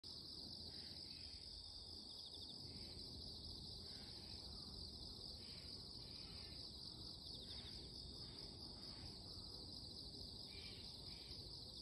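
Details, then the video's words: Insects calling in the morning: a loud, unbroken high-pitched shrilling drone holds steady throughout, with short softer rushing bursts lower down recurring every second or two beneath it. "Loud noise from the morning - the voices of insects"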